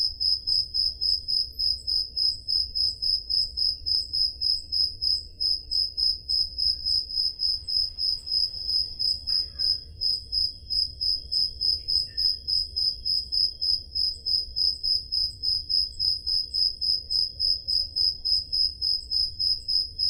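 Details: On a summer night in Greece's Peloponnese, crickets keep up a continuous high-pitched chirping, regular pulses about three or four per second, recorded on a Zoom H5 handheld recorder; a faint brief sound intrudes midway.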